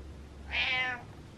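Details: Butters the cat telling the owner to get up with a loud, drawn-out meow, strong and harmonic, over a faint low indoor hum.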